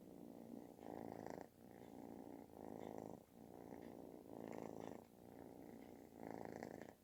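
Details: Kitten demanding affection, purring as loudly as snoring; rhythmic rumbling in regular breath-paced waves, roughly five strong pulses in seven seconds.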